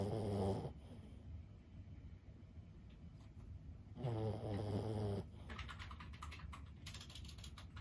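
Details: Fifteen-year-old Boston Terrier Lulu snores in her sleep: a short, deep, rattling snore, a quiet pause, then a longer rumbling one, with keyboard-like clicking afterwards.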